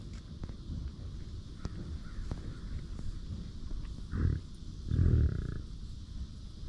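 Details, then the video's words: American bison on a ranch, two low, short grunting bursts near the end, the second longer and rougher, over steady low rumbling background noise. "Bison Being Bison! Sights and Sounds from a Buffalo Ranch"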